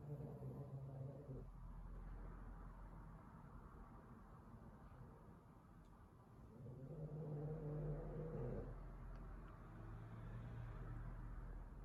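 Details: Bolt, a Boston Terrier, asleep and exhausted after completely destroying his teddy; low, rumbling snores drawn out in long breaths, one near the start and a louder, longer one past the middle, with quiet breathing between.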